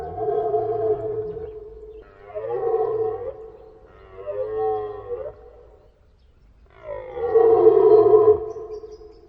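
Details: Four long, loud deer calls in sequence, each a steady harmonic tone lasting one to two seconds, with short gaps between them and a silence before the last.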